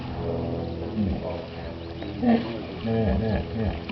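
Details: Hippopotamus in Chobe National Park, Botswana, recorded July 2005; deep grunting, wheezy calls in bursts, rising and falling in pitch, with pauses between phrases.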